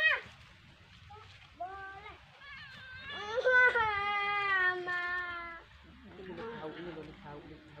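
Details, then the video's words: Domestic cat playing with a fish: a short meow and a couple of brief rising calls, then one long, wavering, drawn-out meow of about three seconds, followed by quieter murmuring sounds at the end. "kucing mainan ikan"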